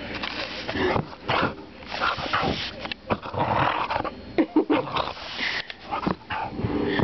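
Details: Brownie, a seven-year-old female English Springer Spaniel, barks and growls during play: short, rough, broadband bursts scattered irregularly through the clip, with a person repeatedly calling "come on" and brief music.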